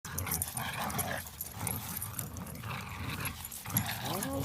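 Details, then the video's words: Dog playing tug of war at a dog park, giving low rumbling growl-like sounds with short whining tones near the end, with a person's voice and outdoor background noise. "Dog park tug of war"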